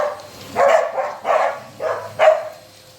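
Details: A corgi, one of several dogs that oppose the vacuum cleaner, gives four sharp, mid-pitched barks in quick succession, about every half second, with a faint background hum between them, on a Saturday morning.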